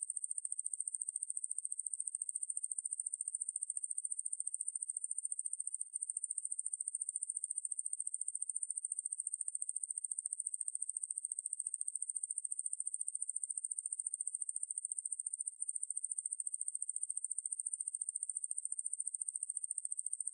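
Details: Ruspolia lineosa (왕매부리) katydid, recorded by the National Institute of Biological Resources in 2020: a continuous, very high, hissing buzz built from rapid, even pulses, unbroken apart from two brief gaps, with no other sounds.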